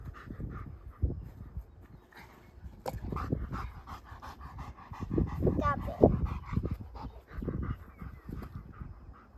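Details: Rip, a two-year-old trained German Shepherd protection dog in Boise, panting while playing fetch with a toddler; rapid irregular breaths mixed with a child's voice and light outdoor noise.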